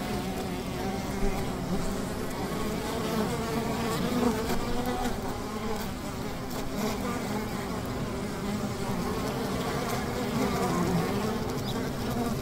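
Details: Steady low hum of a honey bee hive near a river, crowded overlapping buzzing that rises and falls gently over a constant background rush.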